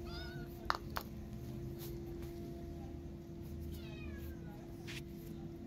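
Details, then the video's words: Maya, a feral cat whose kitten is missing, calls for food with two clear, falling, harmonic meows, one at the start and one near the middle, over a constant low hum and faint background noise. "Feral Cat Maya Calling Me For Food When Her Kitty Is Missing"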